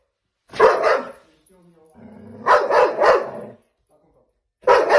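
A Belgian Malinois gives loud, harsh barks, singly and then in a quick burst of three.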